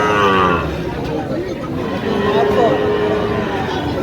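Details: Sahiwal bull at a cattle market, bought by a farmer from Dhaka, Bangladesh, on 23 August 2025. A drawn-out, low, tonal moo opens the clip and a steadier lowing tone follows, with people talking and bargaining throughout.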